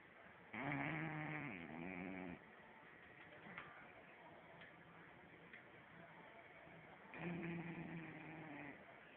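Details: French Bulldog named Arrow snoring while asleep indoors: two long, rough, droning snores with a low buzzing hum, the first lasting about two seconds and the second starting near the end, with quiet breathing between them.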